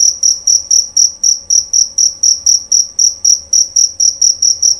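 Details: A male jerabang cricket sings nyaring and clear. Its bright, piercing chirps follow each other steadily, several per second, in an unbroken rhythmic series with nothing else audible.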